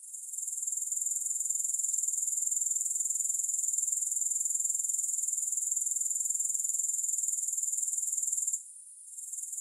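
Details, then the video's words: Grasshoppers without music: a high, even insect trill swelling in over the first second, running steadily, then briefly cutting out near the end and returning. "Grass Hopper Sounds"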